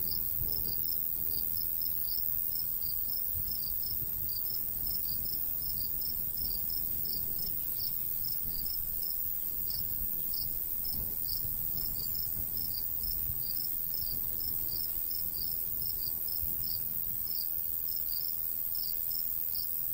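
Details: Countryside crickets on a summer day near a golden wheat field, a long unbroken series of quick high-pitched chirps at a steady rate, light breeze rustling low in the background.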